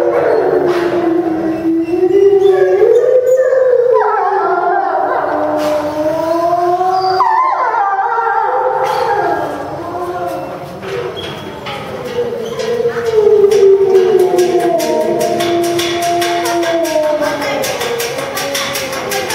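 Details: Several captive grey (timber) wolves at Tama Zoo, Japan, in September 2015 howl together after a meal in a long, wavering chorus of rising and falling tones.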